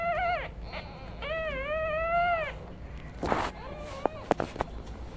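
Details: Newborn kittens resting while their mother cat is away, mewing in thin high cries: two long wavering calls, the second rising then falling, followed by a few short softer mews and faint clicks.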